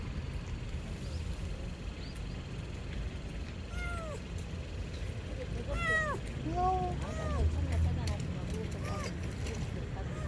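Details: Tiny kitten lost under a car, crying while being watched before rescue: scattered high meows that bunch into a quick series of curved, descending cries midway, over steady low rumbling and a human voice.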